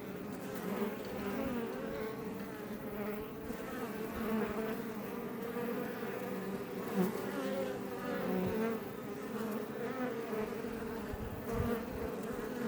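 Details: Iberian honey bees (Apis mellifera iberiensis) outside a Langstroth hive west of Roquetes, near Els Ports National Park, south Tarragona, Catalonia, Spain: steady, dense droning hum with many overlapping wingbeat tones, fairly even in loudness throughout.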